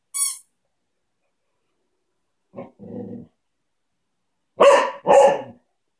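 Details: Cocker spaniel at play time with a ball: two loud, sharp barks in quick succession near the end, after a faint low grumble and a brief high squeak at the start.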